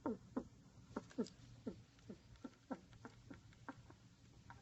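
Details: Curled-up pet rat snoring loudly, a rapid run of crackly, wheezy snorts, stronger at first and then softer and quicker, over a faint indoor hum.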